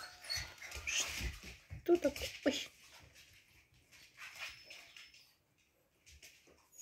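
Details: Siberian Husky named Graf, sad on his last morning at his home, giving a few short high whimpers around the middle amid rustling and movement noise, with faint human voices in the background.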